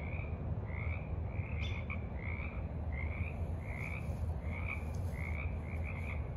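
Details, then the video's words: Frogs croaking in the evening at a forest pond on March 28, 2023: short, mid-pitched nasal notes repeated about every half second in a steady series, over a low rumbling background hum. "Evening Frogs Croak in the Mud"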